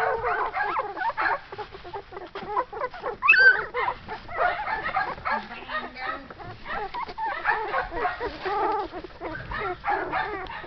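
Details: Litter of Shetland Sheepdog puppies, born in June 2012, crowded together making dense, overlapping high yips and squealing whines, pitch wavering and often sliding upward, almost continuous, with faint human voices underneath.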